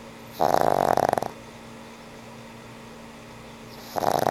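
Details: Snoring from a sleeping elderly pug named Frank N. Stein: a fluttering, buzzy snore under a second long, a pause of nearly three seconds, then the next snore beginning.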